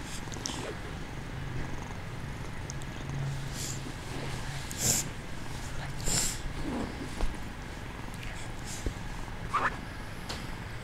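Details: Kitten pretending to be asleep, purring: continuous deep pulsing rumble, even in rhythm, broken by a few short soft rustling sounds near the middle and end.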